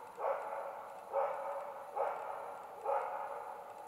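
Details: Karelian Bear Dog on an autumn hunt in Finland, barking at two young adult bears held at bay; four ringing barks spaced about once a second, each with a drawn-out echoing tail in quiet forest.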